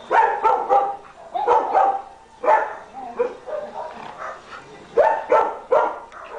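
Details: Rescue German Shepherds at play, barking in quick bursts of two or three harsh barks with brief pauses, some growling mixed in between the volleys.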